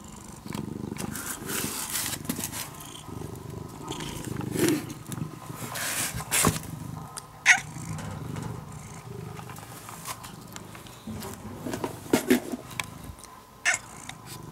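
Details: Purring brown-and-white cat, a once-stray kitten looked after for over five years and now almost a house cat, a low continuous rumble with handling rustles and scattered sharp clicks throughout.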